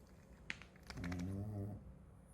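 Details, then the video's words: Genki, a sleeping Shih Tzu, gives one short rattling snore lasting under a second, low and buzzy. A soft click comes just before it against quiet indoor background. "シーズー犬 元気のいびき"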